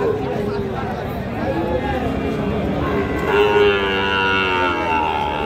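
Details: Cattle at the Raniganj cattle market on 17 November 2025, where small bulls and heifer calves are sold: drawn-out, low lowing tones overlapping one another, set against constant crowd murmur and market bustle.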